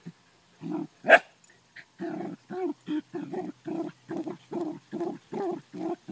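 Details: Ammo the Dachshund, on a farm hunting groundhogs, barks persistently: one sharp high yelp early, then about a dozen even, rhythmic barks repeated roughly every half second.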